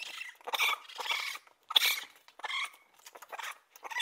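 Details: Raccoon giving harsh, noisy chittering bursts mixed with thin, high squealing tones, in short irregular phrases separated by brief pauses.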